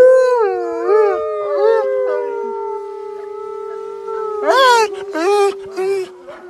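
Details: Wolf and dog howl together, one long steady tone sustained under wavering, slightly undulating howls, then three short, rising and falling yelping howls near the end.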